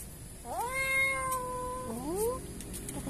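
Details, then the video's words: Kitten found behind a door, crying in fear: a long, drawn-out harmonic meow rising then holding level for over a second, followed by a shorter rising mew; a woman's voice speaks nearby. "Found A Kitten Behind The Door Crying in Fear."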